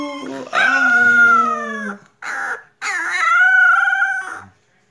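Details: Complaining four-week-old puppy, the only pup of its litter, gives drawn-out high whining cries, two long ones with a short squeak between, each slightly falling at the end; a woman speaks softly nearby.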